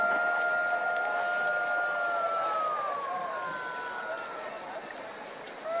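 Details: A jackal's long, level wailing howl that holds a steady pitch, then slides gently downward and fades, set against a hissing background.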